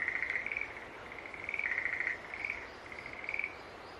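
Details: Green tree frog calling: short, bright trilled bursts at a fairly high pitch, about four in four seconds, with soft gaps of steady background hiss between them.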